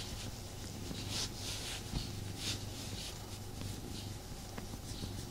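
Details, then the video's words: Tommy, a pet cat, purrs while snuggling indoors: a steady low rumble pulsing in even cycles, with soft rustling and rubbing of fur over the top and a brief break near the middle. "ASMR Cat Snuggle Kuddle | Purring"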